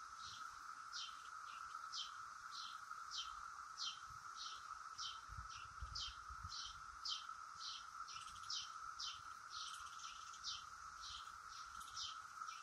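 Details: Brood X periodical cicadas flitting around the top of a willow oak, their steady, unbroken droning chorus holding one even pitch throughout, while high, quick chirps repeat about twice a second over it.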